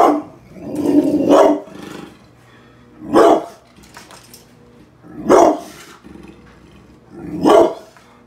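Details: Pit bull, indoors, whose infected toenail has returned after two weeks of antibiotics: an opening cluster of deep barks, then three single loud barks spaced about two seconds apart, with a steady low hum in the room.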